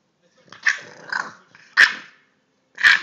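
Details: English bulldog puppy, three months old, giving growly barks in short bursts, four sharp yaps within three seconds, each followed by a rough rumbling tail, in a quiet room.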